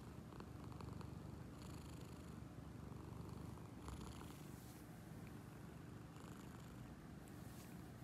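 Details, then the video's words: Steady motorboat purr from Angel, an awake cat, possibly an awake snore: a dense low vibrating rumble with soft breathy hiss riding on top in pulses. "Motorboat purr"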